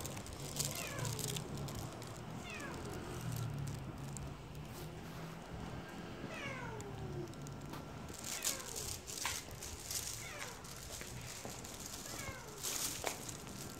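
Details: White stray cat, called Huindungi, eating well outdoors, gives a series of short falling meows, several in quick pairs and others spaced a few seconds apart, over a low steady hum with sharp clicking bursts.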